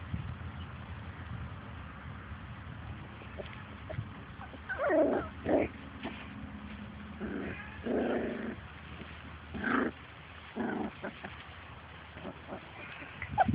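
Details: Labrador Retriever puppies from Grace and Sam's litter playing outside and chasing their mother: scattered short whimpers, yips and low growls in bursts, with quiet background rustle between calls.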